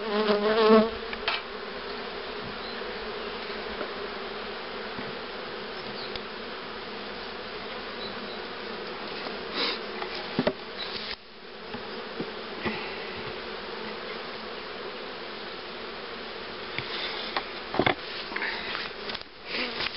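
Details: A colony of honey bees hums continuously around hives set up for rearing queens. The even, droning buzz holds steady throughout, broken by scattered knocks and handling noises, with a louder close bee at the start.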